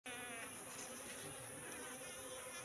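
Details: Wild Asian honey bee colony (Apis cerana) living in a three-month-old trap box: a dense, steady buzzing hum of many bees, with a low droning tone and even loudness throughout.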